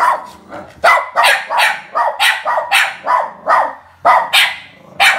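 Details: Two somewhat insecure, over-excited Border Terriers bark sharply and repeatedly at people coming into the house.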